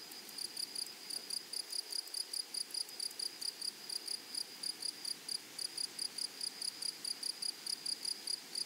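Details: Rapid rhythmic chirps of grasshoppers from a flowery meadow, each a short high buzzy pulse in a steady run of several per second over quiet background.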